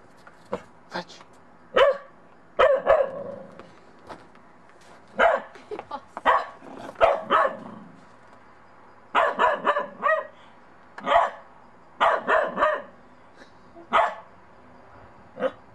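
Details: Bedlington Terrier puppy Monty, in snow for the first time, wary of a little snowman: clusters of quick, sharp barks in irregular bursts, some close together in twos and threes, with a woman's coaxing voice between.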